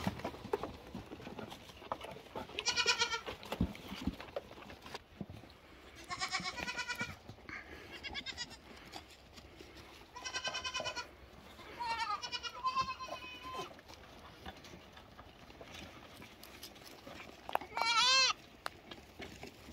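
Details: Cute lambs giving scattered, fairly quiet bleats several seconds apart amid constant background hiss, ending with a louder, sharply rising and falling bleat.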